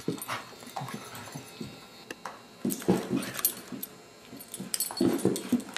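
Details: Abigail, a beagle foster dog later adopted, makes short, low grumbling vocal bursts at irregular intervals, clustered near the end, with scuffling and handling noises in a small indoor room.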